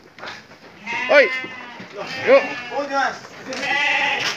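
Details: Evening feeding time for sheep: three or four bleats in quick succession, each rising then falling with a tremulous, wobbling tone, ending in a longer, steadier bleat.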